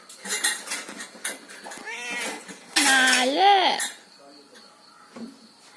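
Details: A domestic cat said to be talking gives one loud, drawn-out meow that rises and then falls, after a stretch of clattering dishes and human speech; a faint short sound follows.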